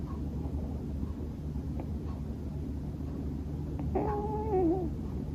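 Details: Male Scottish Fold cat fast asleep indoors: quiet breathing, then a single voiced, wavering snore near the end that sounds like murmuring in its sleep, over a steady low hum.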